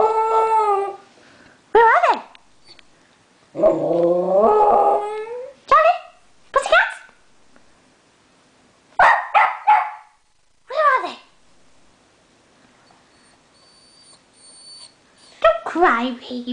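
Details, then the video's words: An indoor pet dog reacting to the word 'pussycat' with a drawn-out wavering howl, then a long whining howl and scattered sharp yips in irregular bursts, with quiet gaps and faint high-pitched music between. "Charlie's reaction to 'pussycats'"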